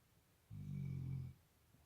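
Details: Sleeping Labrador Retriever snoring indoors, a fairly mild snore for this dog: one low, rumbling, steady drone lasting under a second, rising from quiet and cutting off, with no other sounds.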